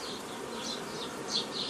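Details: A steady hive buzz from honey bees as a beekeeper builds nucleus colonies in the traditional style, 15 May 2018, from a previously formed forager swarm. Short high bird chirps sound several times above the hum.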